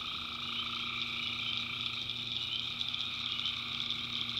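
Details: Swamp at night in the North Carolina backwoods, tree frogs massed in a constant high buzzing chorus, one lower trill fading after two seconds, a faint steady low hum beneath.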